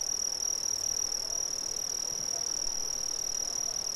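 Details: Chorus of Brazilian crickets, a continuous piercing high-pitched trill held at an even pitch and loudness throughout, with a fine rapid pulse and a faint higher ring above it.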